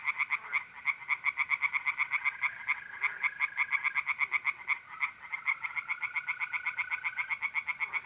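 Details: Mid-April night chorus of tree frogs at a pond in north-east Italy: quick, crackling pulses repeated about four times a second by overlapping callers, with a thin, steady mole cricket trill threading through the background.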